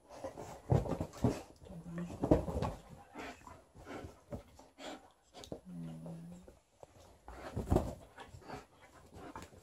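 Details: Indoor play battle between Liza, a female Alaskan Malamute, and her old fish toy during shedding season: bursts of throaty growling and snuffling, broken by two short whiny moans around the middle, in a small room.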